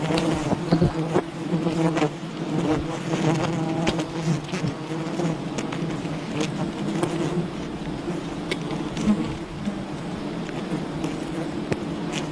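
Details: Bees of a wild colony buzzing while honey is gathered, a steady low droning hum with layered bands, broken by occasional sharp taps and rustles.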